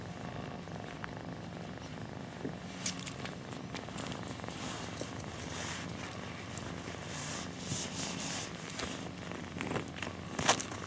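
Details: Mother cat purring as her kittens nurse and snuggle against her; a constant low pulsed purr throughout, overlaid by frequent rustling, small clicks and shuffling movement sounds.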